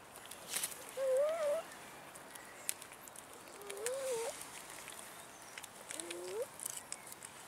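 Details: Abandoned cats in a city park begging for food, giving three separate tonal meows a few seconds apart, each sliding up then down, over a quiet outdoor background with faint rustling.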